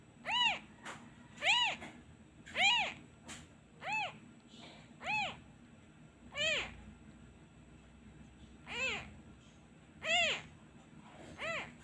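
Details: Orphaned kitten that cries each time the comforting hand is removed, missing its mother; a steady run of about ten shrill, arching meows, one every second or so, loud and clear over faint room hum.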